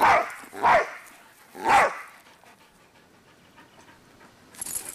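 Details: Two dogs running around and barking: three sharp barks in the first two seconds, then quiet room noise and a brief hiss near the end.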